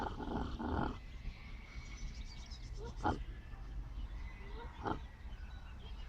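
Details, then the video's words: A sleeping miniature pot-bellied pig snores in short rough breaths, a longer rasping snore at the start, then brief snorts spaced a couple of seconds apart over a low steady background hum. "Snoring Miniature Pot-bellied Pig"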